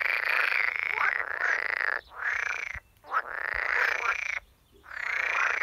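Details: An edible frog (Pelophylax esculentus) gives loud, rattling croaks in long bursts separated by brief pauses, in waters at a workplace.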